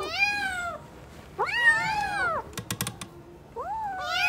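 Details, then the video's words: Playing newborn kittens call in high, wavering meows, one long arched cry in the middle, with a quick burst of sharp clicks before a final rising meow. "New born kittens are playing 😂🤣 | cute cats meowing"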